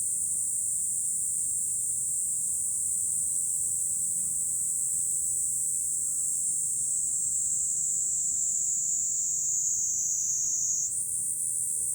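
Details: Cicadas singing in July from a hilltop overlooking Fukuoka city, Japan: a steady, unbroken high shrill drone that holds level, dips slightly lower near the end, then jumps back up, with faint low background rumble.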